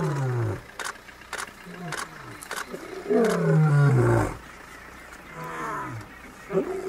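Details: Playful wild lions give deep, rumbling growls and roars, one long low groan swelling near the middle, with sharp clicks and thumps scattered throughout.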